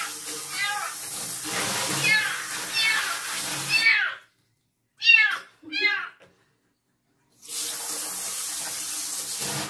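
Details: Young female stray kitten having her first bath at night gives arched, harmonic mews, several blurred under loud rushing water and two clear ones in a quiet gap, with a person talking softly.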